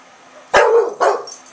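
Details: English Bulldog Milton in Oklahoma, agitated and defending his street through an open window in September, trades barks with a yappy neighbour dog: two gruff barks about half a second apart, the first longer, over low household hiss.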